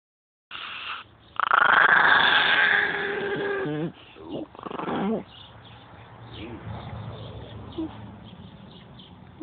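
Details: Migos, a pet dog, making weird noises: a loud, strained, drawn-out harmonic cry lasting over two seconds, then softer broken moans and whines, with quiet room background.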